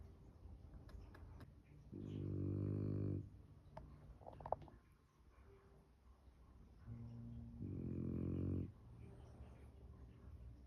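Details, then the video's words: Sleeping French Bulldog, face pressed into the couch, snoring: two harsh, low, rattling snores roughly six seconds apart, separated by quiet breathing and faint household noise indoors. "French bulldog face buried in the couch snoring away"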